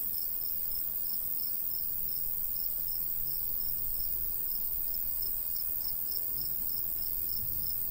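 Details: ['High pulsing cricket chirps, fairly regular at several per second, from a summertime countryside wheat field, with steady low wind hiss beneath.']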